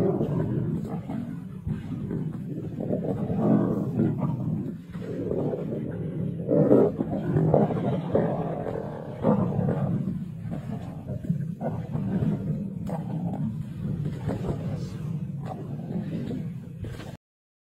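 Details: Kambula pride lions feasting on 2 June 2024; dense, low growling and roaring with several louder surges between three and ten seconds, a steady rough rumble throughout before cutting off abruptly.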